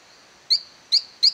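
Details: Silverstoneia flotator frog calling in an abandoned cacao plantation in La Gamba, Costa Rica; three short high peeping chirps, each a brief bright note, given at irregular intervals of under half a second, over a faint steady hiss.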